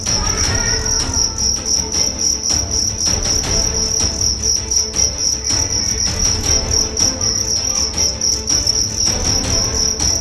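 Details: Karawang fighting cricket, size 7 and 1.4 grams, from West Java, tested as a fighter: continuous bright shrill chirping in fast rhythmic pulses, accompanied by low handling noise and faint rustling.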